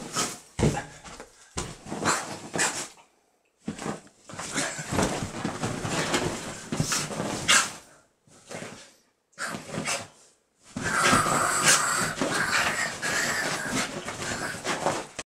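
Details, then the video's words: Shiba Inu named Baku in a fighting bout: harsh, noisy growling bursts in dense runs, broken by short pauses near three, eight and ten seconds, then a long unbroken stretch of rough sound to the end. "柴犬獏 ファイティング３"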